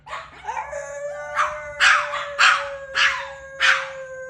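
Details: A male pet dog howling: a soft rising start settles into a steady, level mid-pitched tone, broken by five or six loud, raspy bursts coming roughly every half second.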